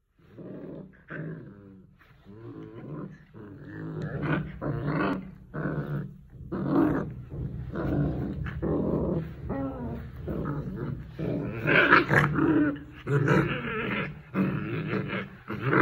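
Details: Rottweiler growling in anger at its owner indoors: low, rumbling growls in repeated bursts of varying length, some rising into harsher snarling tones, with short pauses between.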